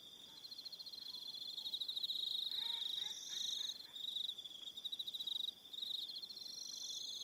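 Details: Evening cricket chorus on Aroha Island, New Zealand: steady high trilled pulsing with a fainter, higher trill layered above, and brief soft lower chirps partway through.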